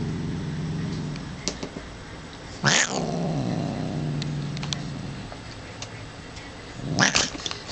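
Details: Moody pet cat, female, indoors, caterwauling while attacking after being petted: a long low growl droning through, broken by two sharp rising-falling yowls, with scattered clicks and rustles.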